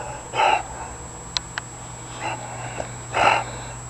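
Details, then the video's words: A tired female bulldog, Scarlett, sitting after a wild burst of running indoors, gives two loud raspy wheezing breaths about three seconds apart, with quieter snuffles between them and a few sharp clicks. "Scarlett Lee the Bulldog goes Crazy"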